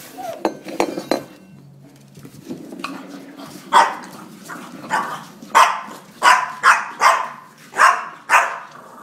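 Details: An angry French Bulldog fighting a drink shaker gives gruff, snorting growls in short bursts after a few sharp metallic clinks.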